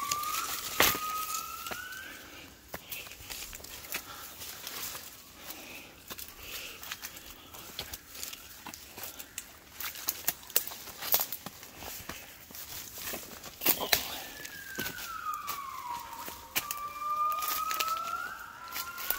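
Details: Gibbons singing at 5 a.m. as they wake in Cat Tien jungle, Vietnam, 16 January 2023. Faint rising whistles early on, then louder swooping whistles near the end, amid constant crackling clicks and insect noise.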